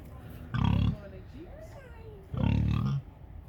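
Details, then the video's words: Big burly pig voicing two loud, low, gruff grunts, the second longer and more drawn out, separated by a quiet pause with faint thin high tones in the background. "Burly big pig makes many noises"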